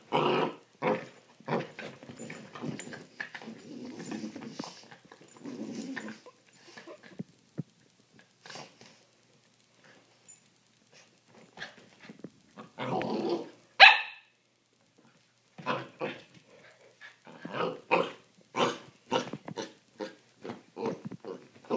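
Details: Holly and Sophie, two puppies, play-fighting in a room on a Friday night; rumbling growls early, a brief pause, then a quick run of sharp yips and snapping noises with thumps.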